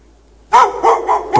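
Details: A dog chained out in the snow without shelter since 8 PM, on a 16° March night in 2014, gives a quick series of sharp, harsh barks in close succession.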